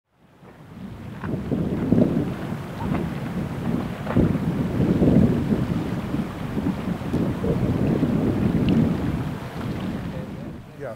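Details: Heavy low wind rumble buffets the microphone outdoors throughout, with no animal call heard.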